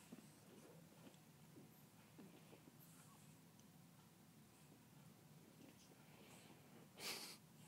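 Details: A young female pug keeps herself busy at play, mostly soft faint breathing noises and rustles, then one loud short snorting puff near the end, against a low constant hum.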